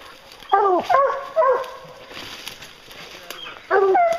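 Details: Hounds on a bear hunt, giving a few loud harmonic baying calls around half a second and one and a half seconds in, then a longer bay near the end, with quiet gaps of background noise between.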